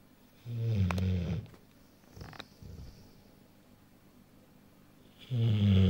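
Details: Rottweiler a little over one year old, sleeping indoors, snoring: two deep, rattling low snores about five seconds apart, with a softer breath between them.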